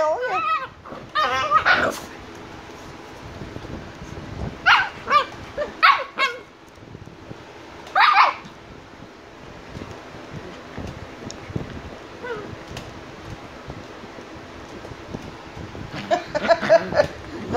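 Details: Shiba Inu puppies Niro and Kyno, 85 days old, with a puppy said to be angry: short sharp barks and yips in bursts near the start, around five to six seconds, at eight seconds and again at the end, with a person talking in Vietnamese.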